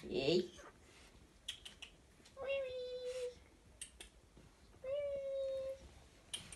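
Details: Three Chihuahua puppies, a litter of two males and one female of toy size, playing indoors: two long, steady, thin whines, each about a second, with soft clicks and scuffling between them.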